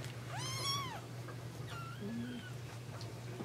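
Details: Domestic cat indoors gives one loud arching meow that rises then falls, followed by a fainter, flatter drawn-out mew, over a steady low electrical hum.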